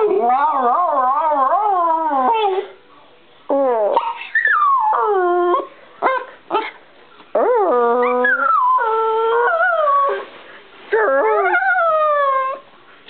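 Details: Singing Bichon Frise Brie opens with a wavering, warbling howl, then breaks into a string of short rising and falling yips and whines before settling into longer held notes.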